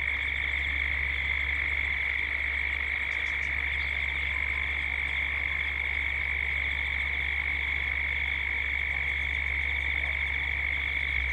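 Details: Australian cicadas calling toward dusk in Gippsland, recorded as a 3D soundscape: continuous piercing buzz with a rapidly pulsing upper band, brief faint high chirps near the start, and a deep background rumble throughout.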